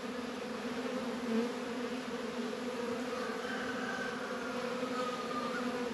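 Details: Honey bees working at hives in a northern Kentucky apiary on a 72-degree February day, with Warre and Langstroth hives: a steady, droning hum with two low bands, plus faint higher whining tones drifting in and out.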